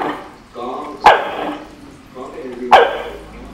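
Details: Corgi; bark; demanding food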